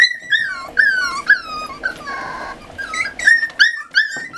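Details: Indoors, weaning Miniature Schnauzer puppies, eight littermates aged 40 days, whimper after being scolded by their mother; short, sharp whines sliding downward come about three per second, with one steadier droning cry midway.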